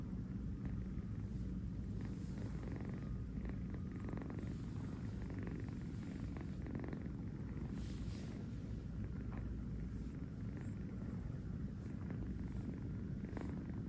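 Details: Napping on his fuzzy bed in New York, the kitten Kurt gives a continuous low purr, a steady vibrating drone with regular pulses of breath and occasional soft rustles as he shifts.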